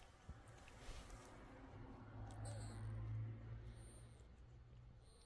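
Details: Mother cat lying with her kittens, a soft, low rumbling purr throbbing steadily beneath faint rustling, swelling slightly louder toward the middle before easing off.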